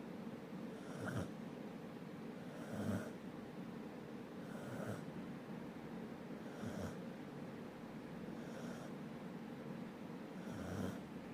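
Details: Snoring from a sleeping dog: six regular rasping breaths roughly two seconds apart, each a brief airy snort over a quiet, constant low hum indoors.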